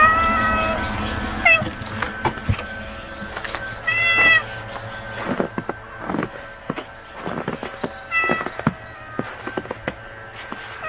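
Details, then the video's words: Hungry stray kitten crying with repeated high harmonic meows, several short calls spread over the stretch, with clicks, handling noises and a steady background hum. "굶주린 새끼 길고양이"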